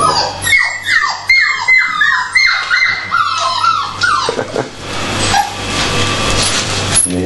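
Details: Dogs at feeding time whine in a quick series of falling cries, then the sound gives way to a broad rushing noise with a low hum and people talking in Finnish.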